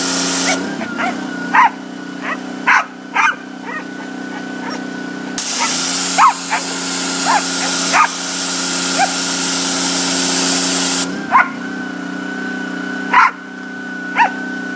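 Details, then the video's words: A Boykin Spaniel enjoys his pressure washer, barking in scattered short yelps between long stretches of loud hissing spray, all over the constant engine drone. "Boykin Spaniel like his pressure washer"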